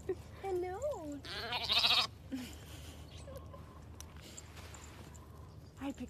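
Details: Young lamb bleating: two wavering, slightly rising bleats near the start, then a loud harsh noisy burst around the second second; a child's voice and other people talking around it.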